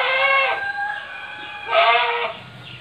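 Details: Etawa goats penned on a Trenggalek farm, three big pregnant does and a young future buck. Two strong, nasal bleats about a second apart, each roughly half a second long, then quiet barn background.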